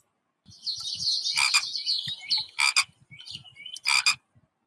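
A frog gives a grating, rattling croak, a long burst followed by two short harsh pulses, all fairly high-pitched and raspy.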